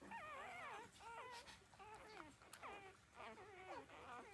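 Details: Newborn puppies, 13 days old, suckling milk from their mother; clear wavering whines that slide up and down, a handful of short squeaky cries in close succession from more than one pup.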